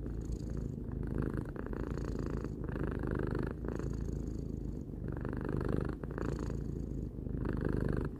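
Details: Relaxed pet cat aged three purring steadily: a rich low rumble with rapid pulses, swelling and easing with each inhale and exhale about every second or two, brief breaks marking the breath changes.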